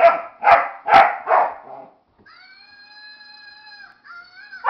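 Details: Indoor dog disapproving of a Flying Monkey toy, giving four fast, sharp barks that trail off into a short whine, followed by the toy's long, steady, high-pitched screech and one more bark at the end.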